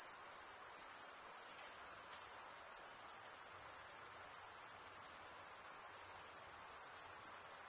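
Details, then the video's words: Crickets at night in summer woodland, a continuous high-pitched pulsing chorus, shrill and even from start to end, with faint scattered soft sounds far below it. "Pure cricket music"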